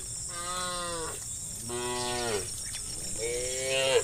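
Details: Three moos follow one another from cows in a large herd moving toward green fields. Each call is a full, resonant tone that bends downward, and the last rises into a strained note.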